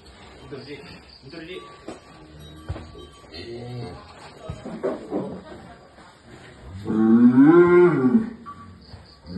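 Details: Jumbo sacrificial cow weighing about one ton, kept for Eid al-Adha in 2024, gives one long, loud, rising-then-falling moo near the end, after stretches of background music and murmuring voices.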